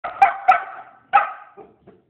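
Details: Three-month-old male Bernese Mountain Dog puppy, hungry and excited for dinner, recorded 3-10-2022: three loud, sharp barks, the first two quick together and the third after a short pause, trailing into two faint softer yips.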